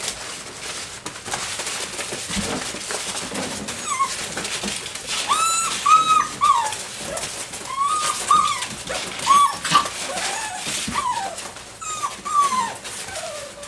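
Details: Doberman puppies, six weeks and five days old, playing together as a group with a flirt pole. High, arched whining yelps come in quick bursts from about the fourth second onward, with scuffling and thumps of play beneath.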